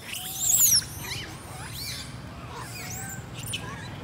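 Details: Baby monkey Lori crying after her mother Amari leaves her alone: a burst of shrill, high squealing cries in the first second, then faint wavering calls over a steady low rumble.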